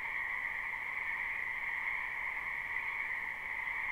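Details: Numerous frogs in a spring wetland, recorded live with no looping, croaking together in an unbroken dense chorus; the sound stays level, a bright higher band over a softer lower one.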